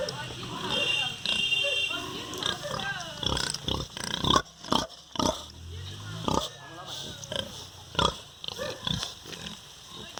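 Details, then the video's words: On the farm, a sow and her piglets: mixed soft murmuring, then a string of strong, abrupt grunts at uneven intervals, loudest in the middle. "Som do Porco, Real Animal Sound: Pig. Som real dos animais: Porco, leitão, porca."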